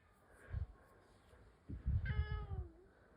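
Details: Indoor rescued cat answering a cat voice it hears: one clear meow that slides downward, lasting under a second, after low thumping handling sounds.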